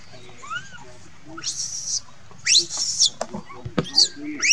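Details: Crying monkey calling its mother: a soft arched whine first, then long harsh screeches and quick sharp squeals in close succession, over low background rumble.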